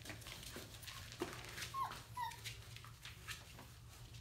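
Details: Labrador Retriever puppies at a breeder's: two brief, thin whimpers sliding down near the middle, each under half a second, with quiet rustling and handling noise around them.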